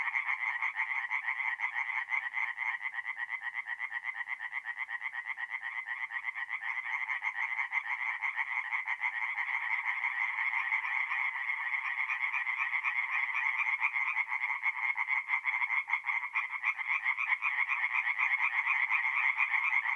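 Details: Tree frogs singing at night at a forest pond in north-east Italy in mid-April: a dense, continuous chorus of rapid rasping pulses, many callers overlapping into a steady trilling wall of sound without pause.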